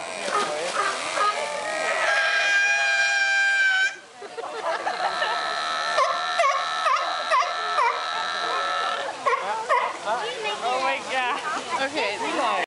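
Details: Very vocal sea lions, one on a rock, giving a long, drawn-out harmonic wail followed by a series of repeated braying honks and wavering barks from several animals, closely spaced and overlapping.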